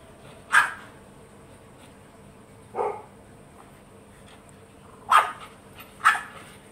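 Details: Milo, a mini French Bulldog, barks after spotting a flower while climbing the plant: four sharp, bright barks at irregular intervals, two in quick succession near the end, over quiet indoor background.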